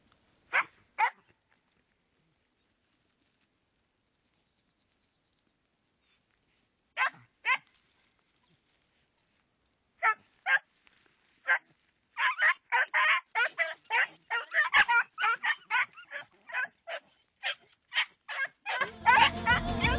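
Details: Segugio Italiano hound barking: a few spaced, sharp barks at first, then a quick, excited string of repeated barks that grows denser and louder toward the end, closing with a short burst of harsh noise.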